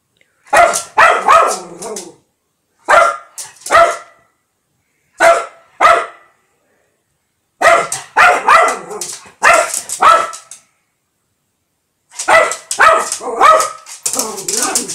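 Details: Blonde Lhasa Apso dog bothered by a fly, barking indoors: sharp, high yapping barks in bursts of two to four, separated by pauses of about a second, ending in a longer, quicker run of barks.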